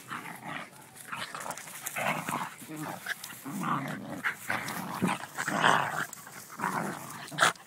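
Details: Schnauzer and beagle wrestling in play, giving bursts of rough growls and grumbling snarls through the clip, with scuffling noise between vocal bursts.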